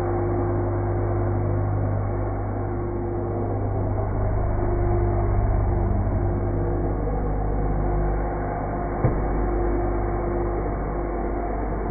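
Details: A vacuum cleaner drones with a steady low hum for the whole span, broken by a single sharp knock near the end; no animal sound is heard.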